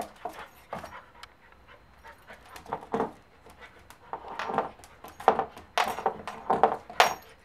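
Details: Pembroke Welsh Corgi puppy aged three months, excited by a new bone indoors, panting and huffing in quick breathy bursts that grow denser and louder toward the end, with small whimpery snorts mixed in.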